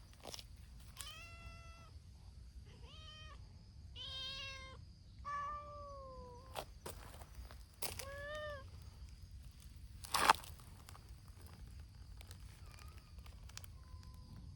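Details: Noisy gathering of calico-and-white community cats, strays cared for by volunteers, outdoors: a series of harmonic meows, some rising then falling, one long drawn-out downward wail, several overlapping cats calling in bursts, with clicks and knocks between and a faint steady hum.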